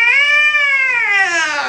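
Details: Agitated domestic cat at the vet's office, held in a small carrier, letting out a single loud, sustained yowl that holds steady, then slides downward at the end.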